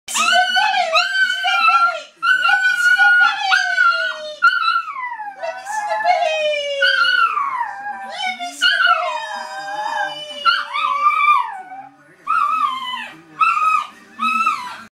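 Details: A small dog howls like a wolf in high, wavering tones that slide upward and then droop downward.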